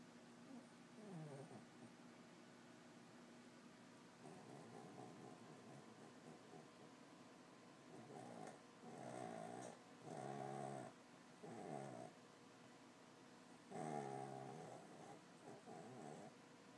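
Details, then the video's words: Small dog snoring indoors: soft raspy breaths in bursts every one to two seconds, some louder nasal snores with a rough, rattling texture, in a quiet room. "Little dog snoring"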